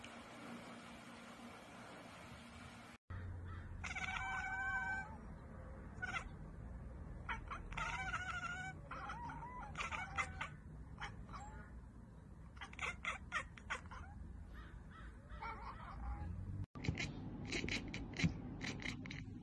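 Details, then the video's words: Domestic cat chattering on spotting a bird or insect, a behaviour usually heard when it cannot reach the prey; rapid stuttering bursts of short clipped chirps, roughly four per second, split by abrupt cuts, over a steady low hum. "cat kekeke"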